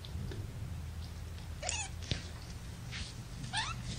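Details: Young domestic kittens, part of a litter of five born April 14th to mother cat Gamora, resting in a lap indoors; two thin, high mews, each sliding downward, about two seconds apart over a low steady room hum.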